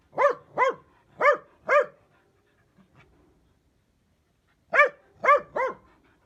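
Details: Dachshund barking: a burst of four sharp, evenly spaced barks, a pause of nearly three seconds, then three more quick barks; clean background with no other sounds.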